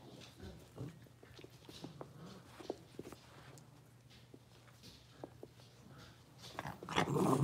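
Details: Indoor pen holding five blenheim Cavalier King Charles Spaniel puppies born on New Year's: rapid, irregular little yips and soft growly squeaks from the litter, then a loud burst of rustling and bumping at the end over a constant low hum.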